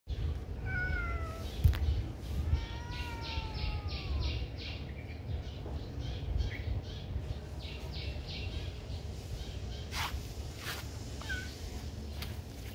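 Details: Friendly kitten at a pagoda giving a few drawn-out, gently falling meows early on, then quieter stretches with scattered clicks and taps over a steady low rumble of background noise.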